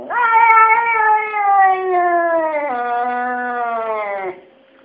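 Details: Kesha the talking cat, complaining indoors, lets out one continuous, wavering wail of more than four seconds that drops in pitch in small steps before stopping abruptly.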